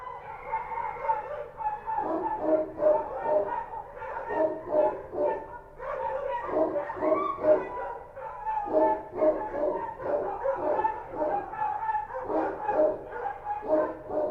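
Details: Street dogs barking at night in Kabul, Afghanistan: several dogs give overlapping rough barks in rapid bursts, some clustered in quick runs, continuing without pause throughout.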